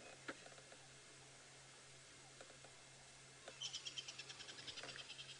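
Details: On a 4 PM sunset drive on 23 February 2018 at Djuma, Sabi Sand, South Africa, a squirrel gives a rapid alarm chatter, about three sharp notes per second, likely at a common buzzard, over engine hum.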